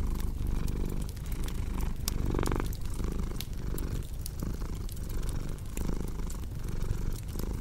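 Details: Cat purring by a cozy fire: a low continuous rumble pulsing in breath-long cycles of under a second, with frequent crisp crackles and occasional louder snaps from the fireplace throughout.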